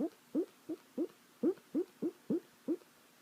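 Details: Dog asleep, producing a steady string of nine short, upward-sliding squeaky yips, roughly three per second, clear against a quiet indoor background.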